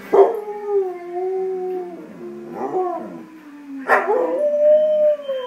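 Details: Speed, a pet dog, sings along to the Two and a Half Men theme on TV in a living room or bedroom: wavering howls that slide down, break off with sharp yelps near three and four seconds, then rise again, with music faintly behind.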